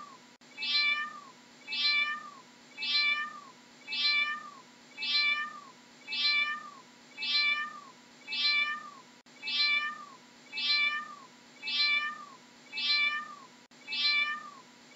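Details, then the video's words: Cat meowing over and over, each harmonic-rich meow falling slightly in pitch, about one per second in a steady, very regular series, against a faint low background hum. "How does a cat sounds"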